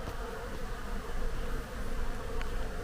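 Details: A bee colony (panal) found inside an abandoned hacienda mansion in Mexico gives a steady, low droning hum of many bees buzzing together.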